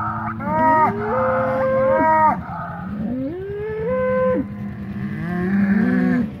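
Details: Polled Hereford bull of the Secret Weapon bloodline, fighting another bull while being mixed after the breeding season; strained, rising bellows with bright overtones, three or four in quick succession.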